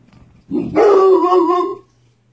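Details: Pet dog barking at the mailman: a short low huff, then one long drawn-out howling bark with a steady tone, held for about a second before cutting off, set against a faint constant hum.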